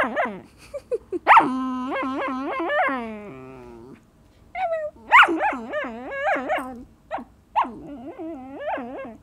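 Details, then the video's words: Mixed-breed puppy, six months old, 'talks' while asking to play fetch: long runs of wavering, yodel-like whines and yips that bend up and down, with short pauses between bursts, indoors. "Cute Puppy Telling His Mom A Story"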